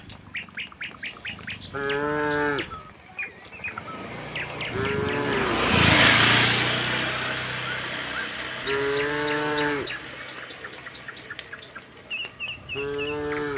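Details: Tame cattle in a herd of dozens leave their shed for open green pasture, answering one another with four drawn-out, harmonic moos spaced a few seconds apart, while small birds chirp brightly throughout and a brief rushing noise swells midway.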